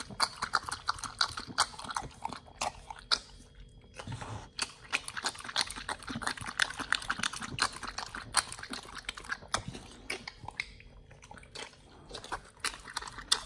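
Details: Nomyen, a Pit Bull, chews a raw meal of beef shank steak, green tripe, chicken feet and quail egg; sharp crunching bites in quick bursts with a brief pause near four seconds.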